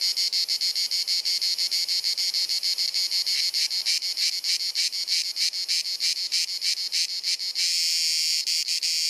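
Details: Dalmatian cicada in Croatia on a hot summer afternoon, repetitive clicking and chirruping: a steady shrill buzz breaks into irregular stuttering bursts, then settles back into one continuous high drone near the end.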